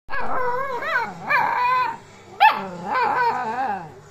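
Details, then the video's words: Two-month-old Alaskan Malamute puppy 'talking' with its owner: warbling, harmonic howl-like yowls that bend up and down, in about five drawn-out phrases with short pauses, one sharp rising yelp near the middle. "Маламут щенок 2 месяца. Разговор с хозяйкой"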